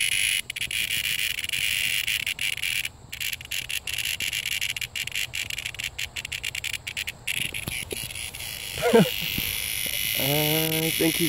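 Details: Cicada giving a steady, harsh, high-pitched buzzing drone, cut by brief gaps, for about seven seconds; it then fades out as human voices take over near the end.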